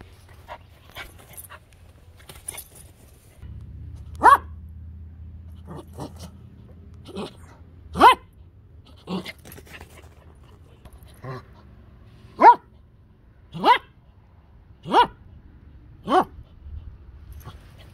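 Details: A male Maltese terrier mix barks in sharp single yaps, about ten spaced irregularly over eighteen seconds, with a low hum in the background.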